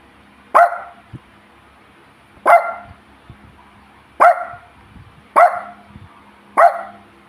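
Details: A pet dog hungry for a treat barks while its owner tells it to give a paw first; five short, sharp barks come about one to two seconds apart, with faint clicks and quiet household sounds between.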